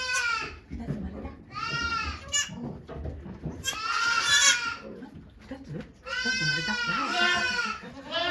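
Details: Birth of twin kids to the goat Okayu at Yoshigake farm, Japan, 3 May 2023: repeated loud, nasal, trembling bleats, one drawn out over two seconds near the end, over background chatter from watching volunteers.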